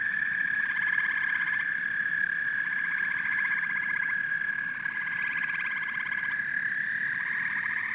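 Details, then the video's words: Frogs and toads calling together, a constant high trill with rapid pulsed croaks stacked on it in bursts of about a second, starting and stopping repeatedly. "Frogs and Toads Symphony"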